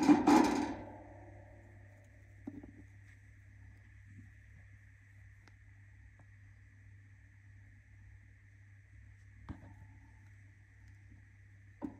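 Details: A steady hum and a tone, with occasional knocks and clatter indoors, but no animal voice.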